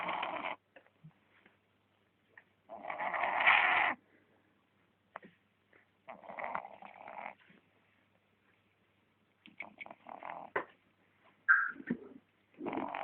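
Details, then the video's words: A sleeping dog snores in separate rasping, breathy bursts, the longest lasting over a second, with silent gaps between breaths. "Menino ((CACHORRO)) roncando!"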